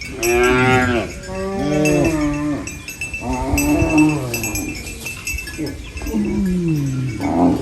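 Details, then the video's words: Cow eating banana leaves on a village farm produces a run of strong, harmonic moos, several in close succession with falling and wavering pitch, some long and groaning, over faint ringing and rustling. "Funny cow eating banana leaves Mooing Sounds"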